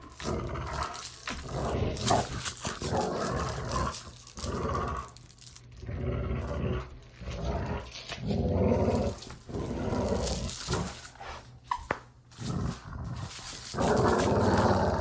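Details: Playful dog growling for desensitizing pets to sounds: repeated harsh rumbling growls in uneven bursts, broken by brief quiet spells and some clatter.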